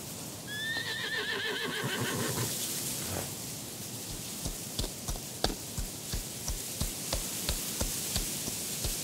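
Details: Black horse whinnies with a quavering high cry, then runs past, its hooves striking in an even beat of about two thuds per second, over soft mountain breeze.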